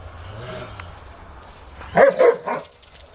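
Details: Dogs playing in 2009 footage, a household group of rottweiler, akitas, rough collies and a Japanese spitz; a low rumble, then three quick loud barks in a burst about two seconds in.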